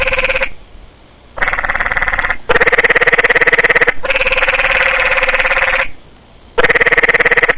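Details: Four frogs calling together, possibly a mating call, in loud pulsed buzzing trills that come in bursts of one to three seconds, overlapping and restarting after short gaps, with a strong harmonic, ringing tone.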